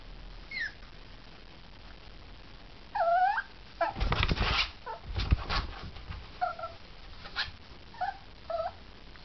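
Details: New puppy crying: thin, high whimpers with short bent, wavering cries repeated every second or two, between soft rustling and thumping handling noises.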